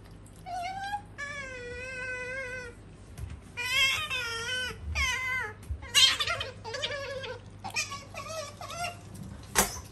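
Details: Pet otter Sakura, female, calls in drawn-out, wavering, high squeals, one long falling note then several shorter bursts, with a few sharp clicks or knocks and a low background hum.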